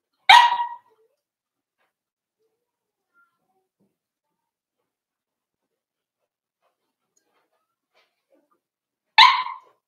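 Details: Cavalier King Charles Spaniel puppies, four weeks old, in Daisy's indoor puppy pen: two short, sharp yaps about nine seconds apart, with near silence between them.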